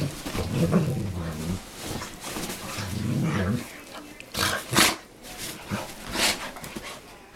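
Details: Playing dogs: deep, rumbling growls in two longer stretches, followed by quieter breathy huffs and sharp noisy bursts.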